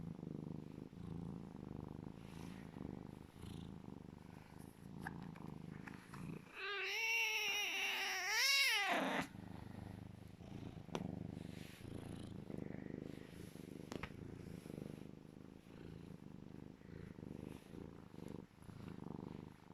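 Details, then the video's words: Legolas, a serval cat, makes funny happy noises while cuddling. A low purr runs through, interrupted midway by a loud, wavering, harmonic chirping call of about two seconds before the purring resumes. "Sweet Legolas the serval cat making funny noises of happiness cuddling & purring loud"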